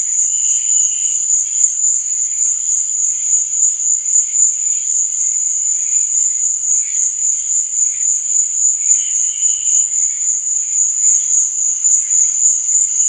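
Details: Unbroken shrill trilling of crickets at night, steady in loudness, with short softer chirp phrases breaking through near the start and around nine seconds.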